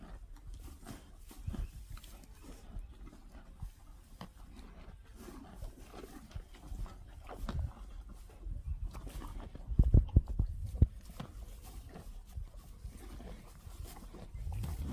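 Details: Cows feeding: steady low chewing and rustling throughout, with a louder cluster of crunching bites about two-thirds of the way in.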